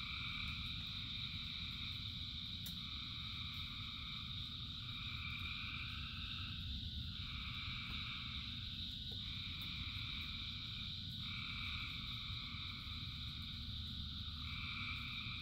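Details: Rain falls steadily while thousands of frogs sing, their trills blending into a constant drone broken by repeated brighter phrases, each lasting a few seconds before the next caller takes over.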